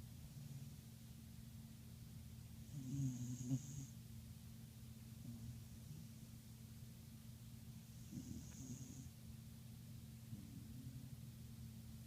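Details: Helix, a dog, snoring while asleep: a low steady rumble of breaths with two louder snorts, each followed by a brief high hiss, then quieter snoring.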